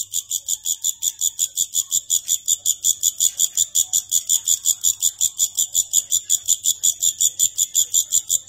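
A grasshopper stridulates in steady, rapid pulses of high, hissing buzz.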